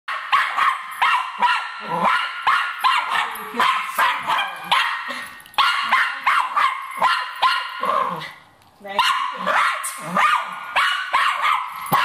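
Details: Cairn Terrier hunting a rat, barking and yapping in rapid, almost unbroken bursts, high and harsh, with one short pause midway before the frantic barking resumes.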